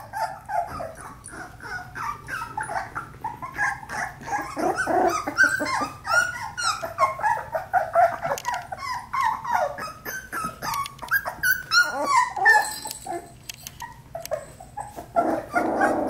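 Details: Four-week-old Australian Labradoodle puppies play-fighting, a dense, continuous stream of rapid squeaky yips, whines and little growls overlapping for the whole stretch, several pups vocalising at once.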